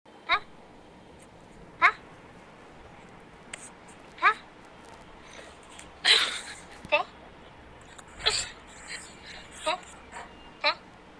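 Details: Naughty, bored pet dog refusing to give its paw during a shake-hands game, letting out short, sharp, rising whine-like yelps repeated every one to two seconds indoors, with a few brief clatters and rustles between them.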